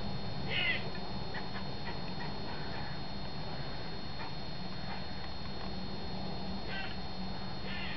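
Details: Squirrel in a garden giving distress and warning calls at a cat at the base of an oak tree; short, scratchy, chattering bursts come irregularly across the clip over a steady low background rumble.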